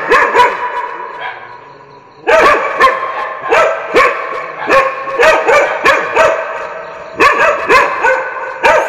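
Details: Dog barking for desensitization practice. A few barks come first, then a quiet gap of about two seconds, followed by a sustained volley of loud, evenly spaced barks lasting to the end.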